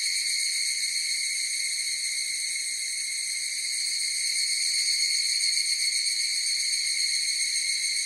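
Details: Higurashi, the evening cicada, heard as a massed chorus. A constant shrill, ringing wall of sound with several even high tones and a subtle rapid flutter swells slightly in the second half. Nothing else is audible.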